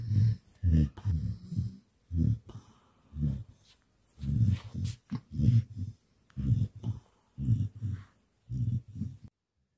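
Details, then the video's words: A Samoyed snoring at night, loud enough to wake its owner: deep, rasping low snores in short bursts, roughly one per second, with brief silent gaps between breaths. "ฉันตื่นกลางดึกด้วยเสียงกรน|Ich bin durch das Schnarchen aufgewacht🙄I woke up because of snoring"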